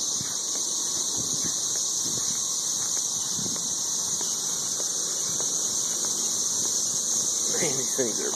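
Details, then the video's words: Loud chorus of 13-year periodical cicadas in Nashville, Tennessee, packed in the trees and mating. The piercing, steady hiss runs throughout, and a man's voice speaks briefly near the end. "Ridiculously loud 13-year cicadas"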